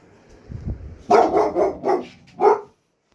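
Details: A year-old boxer dog at night gives four loud, harsh barks in quick succession, preceded by faint low thumping and rustling.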